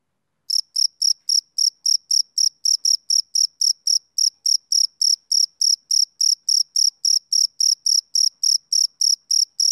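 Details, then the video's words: Male cricket chirping on a summer evening: high, clean, shrill chirps repeated steadily about three to four times a second, each a short pulsed burst, with no other sounds in the background. "Cricket Chirping Sound Effect"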